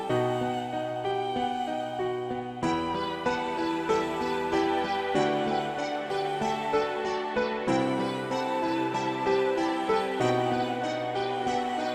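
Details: Gentle piano-led background music with tender, slowly changing chords.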